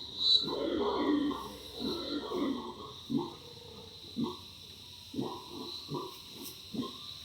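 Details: Howler monkeys in their natural habitat, a jungle setting; deep, rough roaring bursts, a long chorus at first then shorter grunting pulses about once a second, over a steady high insect drone.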